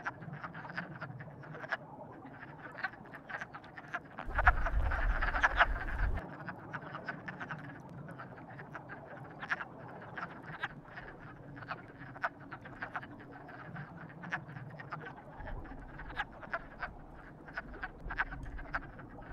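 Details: Chorus of courting frogs, fast continuous croaking, a louder rattling burst near five seconds, low-frequency rumble in the background.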